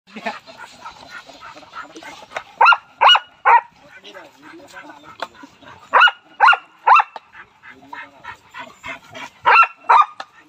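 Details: Aggressive Rottweiler dog barking: sharp, loud barks in three quick bursts of about three each, spaced several seconds apart, over a low background of human chatter and softer noises.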